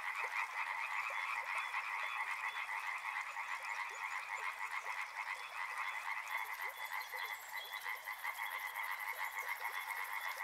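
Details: Frogs by a river croaking in a continuous, thickly layered chorus of fast pulsed notes; a faint high steady whine enters after about six seconds.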